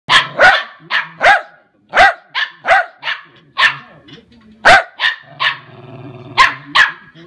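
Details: Lakeland Terrier barking: sharp, loud barks given singly and in quick pairs, with short pauses between bursts and a low rumbling growl between some of them.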